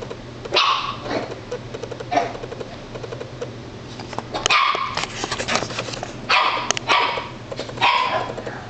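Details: Female Italian Greyhound scared of her own reflection, letting out a string of sharp, strained barks and yips at uneven intervals, with a steady mechanical hum underneath.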